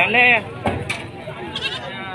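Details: At the Padang Tiji livestock market in Aceh, a single short, shaky bleat rises over nearby chatter. It is followed by a brief knock and scattered voices from traders among the young male goats.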